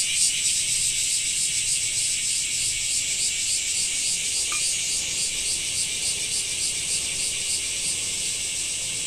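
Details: Loud, shimmering cicada buzz from a summer in Japan, an even high-pitched drone with a slight pulsing texture and one small tick near the middle.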